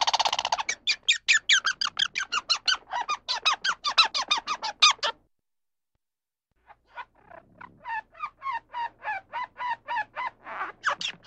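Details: A squirrel in a forest gives rapid, sharp, squeaky chips in a fast chattering series, pauses, then starts again.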